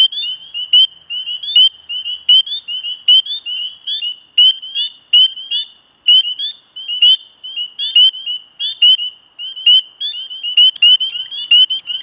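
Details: High, piping spring peeper peeps, each a brief rising whistle, delivered in a steady uneven stream over twelve seconds as nearby frogs call and overlap, with a soft chorus of more peepers behind.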